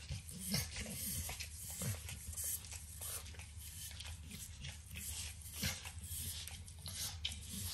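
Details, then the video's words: Indoors, 9-year-old Pit Bull Max licks and chews a treat of overcooked bacon; wet slurping laps and crisp crunchy nibbles follow in quick uneven bursts, with a faint low hum from the kitchen behind. "Max Licks & Nibbles Bacon | Dog Licking Sounds"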